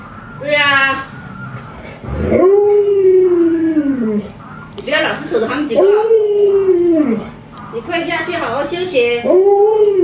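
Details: Alaskan Malamute named Luoluo, a pet dog trying to wake an owner still in bed; drawn-out wavering howls, each about two seconds, come in three bouts, mixed with a woman's Mandarin chatter between and over them.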